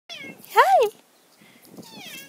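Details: Outdoor neighbourhood cat meeting another cat gives a loud, arched meow rising then falling, framed by quieter meows at the start and end, while a person speaks nearby.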